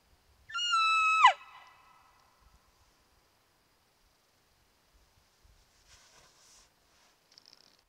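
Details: Bull elk bugling at night during the peak rut, near a wallow on a mountainside; one high, clear whistled note lasting under a second, briefly rising, then held steady before a sharp drop, followed by near silence with faint rustles.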